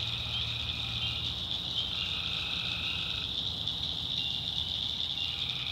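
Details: Many tree frogs call together after dark in North Carolina swamp woods, making a steady shrill trill. A second, lower buzzing voice drops out partway through, and a faint rumble lies beneath.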